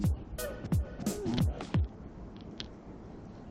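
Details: Electronic music with deep falling bass sweeps and sharp percussive hits; no animal voice is heard.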